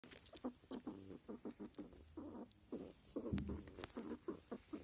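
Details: Male squirrel in rutting season giving soft grunting sounds, a rapid series of short low pulses about three to four per second, with faint rustling between them.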